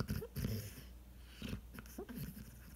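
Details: Coonhound asleep on a couch and dreaming in the morning, giving short low snorting breaths with faint squeaky upturns, several separated puffs in a quiet indoor room.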